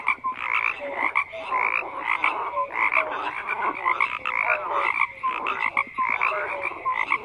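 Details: Dense croaking from many frogs: rhythmic buzzy bursts repeat quickly, with brief falling whistled notes and sharp clicks woven through the steady, loud chorus.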